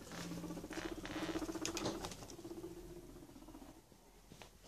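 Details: Two male guinea pigs returning indoors from their daily outside activity to a completely rearranged house: soft low chirping and rumbling with a brief squeak, pattering feet and rustling, and a man greeting them.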